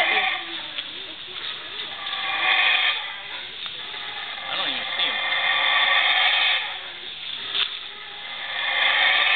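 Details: Howler monkey in the Belizean tropical forest, its howling a rough, breathy roar that swells and fades in long waves of a few seconds each, loud and close overhead against steady forest background.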